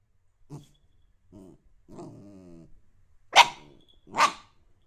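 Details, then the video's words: Dog vocalising: short low whines and a drawn-out moaning growl, followed by two sharp, loud barks close together near the end. "dog sound"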